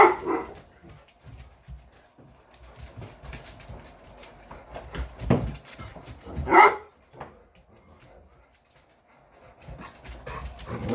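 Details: Talking back from a household pack of six English Mastiffs: low muffled grumbles and snuffles, then one loud sharp bark-like yowl midway, followed by quieter vocal noises.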